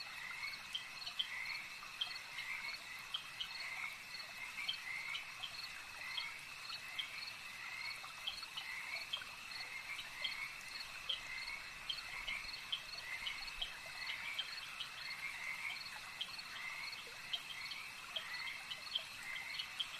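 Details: Frogs croaking at a lake, a dense chorus of short, rapid croaks and chirps running throughout, over steady high insect trilling that hums without a break.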